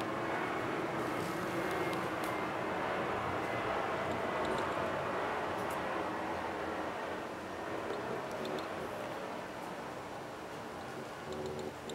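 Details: Steady roar of an aircraft engine fills the recording, with faint human speech and no animal voice.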